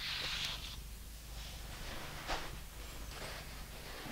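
A British Shorthair cat purrs steadily, a low rumbling drone, with brush strokes rasping over it.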